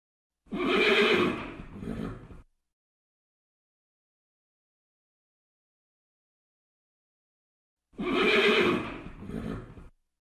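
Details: Two separate whinnies from a red horse, each a quavering high neigh sliding downward and ending in a brief breathy flutter, divided by several seconds of complete quiet.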